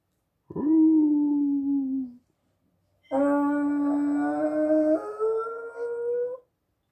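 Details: Chihuahua Dachshund mix (Chaweenie) dog howling: a falling howl of about one and a half seconds, a short pause, then a longer sustained howl that steps upward in pitch near its end.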